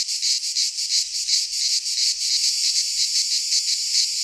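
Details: Midsummer chorus of cicadas in Greek pine woods, a harsh high-pitched rasp throbbing in quick regular pulses, close to three per second, continuous throughout.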